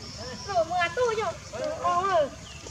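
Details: Baby monkey named Lizza, wild in the forest of the Angkor Park area, crying to call its mother: two bursts of high, wavering, whimpering tones that rise and fall, with a soft background murmur.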